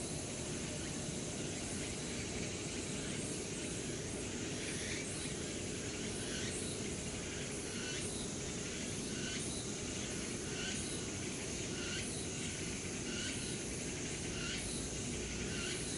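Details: Cicadas singing together in late summer in the wooded grounds of Changgyeonggung Palace, Seoul, South Korea: repeated bursts of buzzy, rasping song stacked high over a steady low rumble like distant city traffic.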